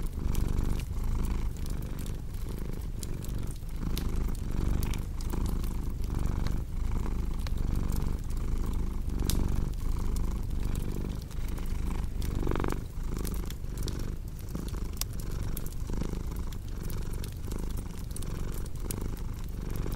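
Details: Low rumbling cat purr, rising and falling in steady breath-length cycles, partly masked by frequent crackles, pops and snaps from a wood fire.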